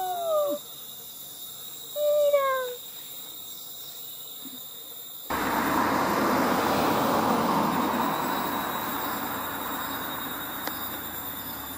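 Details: A white-handed gibbon (Hylobates lar) gives clear, swooping hoots that slide up and down, then steady rushing noise, near km 33 in Khao Yai National Park, Thailand, on 14 July 2017.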